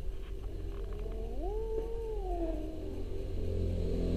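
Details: Low, drawn-out orange house cat call sweeping upward, holding a wavering level tone for over a second, then sliding down and fading, over a constant low rumble.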